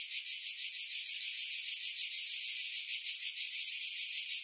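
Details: Cicadas in pine trees about 50 m above the sea at Pefkos Bay, Skiros Island, Greece, July 2018, recorded on a Sony RX3 with external Sony mic: a dense, high, hissing buzz pulsing about three times a second, low frequencies filtered away.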